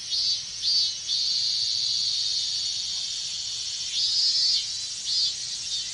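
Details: Shrill, sustained buzzing from a chorus of minmin cicadas during hot Japanese summer weather, with a few louder swelling bursts near the start and again near the end.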